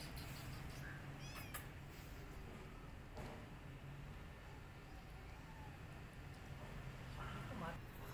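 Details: Street kittens after their rescue, fussy eaters at a meal, give a short high mew early on and another faint one near the end, with long quiet stretches, low background hum and soft human voices.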